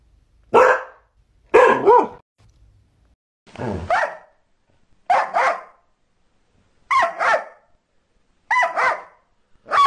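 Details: Border Collie barking: sharp, loud single and doubled barks with one lower, rougher bark, spaced about one to two seconds apart against silence.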